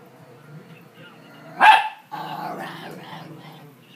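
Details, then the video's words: A dog gives a single sharp, loud bark at the TV around the middle of the clip, while television sound hums and chatters steadily underneath before and after. "Dog barks at TV"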